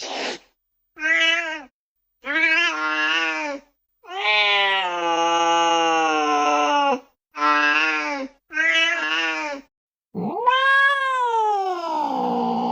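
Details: Domestic cat meowing in a quick series of about seven short, clear, tonal meows separated by brief silences, ending with a longer, louder meow that rises sharply and then slides downward.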